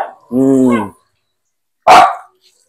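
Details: Pet Aspin dog at bath time indoors, giving one sharp, loud bark after a person speaks in a mid-pitched voice; the room then falls quiet.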